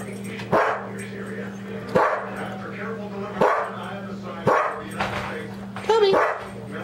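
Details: Pet dog Daisy, worked up over a squirrel with housemate Toby and attacking whatever is closest, gives sharp barks about every one to one and a half seconds, five in all, while a person talks and a low hum persists.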